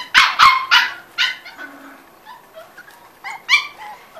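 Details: Five-week-old Corgi puppies yip and squeal in quick bursts: three sharp yips at the start, scattered soft whimpers, then a second cluster of high yelps toward the end.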